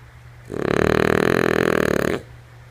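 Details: Female French Bulldog Lulu asleep, giving one drawn-out rough snore of about one and a half seconds, a pulsing, fluttering rasp, against a faint low electrical-sounding hum.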